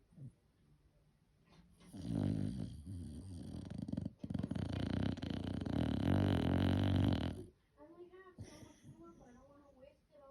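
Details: Dandie Dinmont Terrier snoring while asleep indoors: a long, rough, rasping snore of about five seconds, broken briefly midway, followed by quieter voice-like murmurs near the end.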